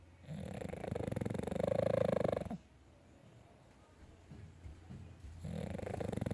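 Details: Sleeping pet dog snoring indoors: two rattling, vibrating snore breaths, the first about two seconds long and the second starting near the end, separated by a quiet inhale with faint room noise.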